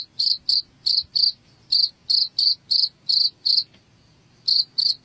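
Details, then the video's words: Cricket sound used to scare rats from a house: shrill, evenly pitched chirps in a quick run of about three per second. The chirping stops for nearly a second, then two more chirps follow. "SUARA JANGKRIK Pengusir Tikus AMPUH UNTUK Mengusir TiKUS di Rumah"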